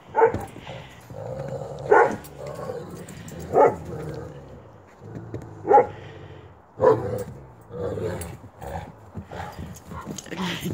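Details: White wolfdog named Coco being picked on in play by two other dogs, Jake and Bob, getting mad a couple of times: loud gruff barks and growly yips roughly every second or two, with a person cheering her on.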